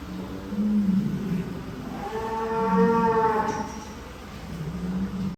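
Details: Cattle at a large farm barn holding about 1000 head in Indonesia; a drawn-out low moo swelling in the middle, over a steady barn hum and other distant cattle lowing.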